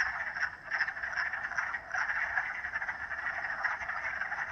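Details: Dense frog chorus of overlapping croaks, a constant grating trill with slight pulsing swells, many callers blending into one unbroken wall of sound.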